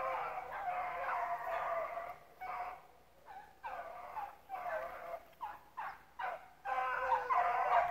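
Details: Pack of rabbit dogs with a bunch of pups in the mix, out running rabbits at Relay Hunt club. Bursts of ringing, yodelling bays from several dogs overlap, broken by brief pauses, then a loud rush of voices at the end.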